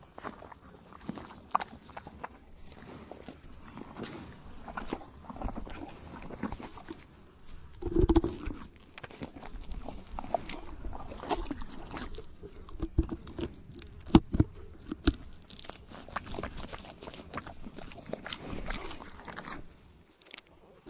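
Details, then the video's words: Horse chewing tree bark: irregular dry crunches and snapping clicks, with a few louder bites near the middle, over a quiet low background with no calls. "Horse Chewing Tree Bark SOUND Effect"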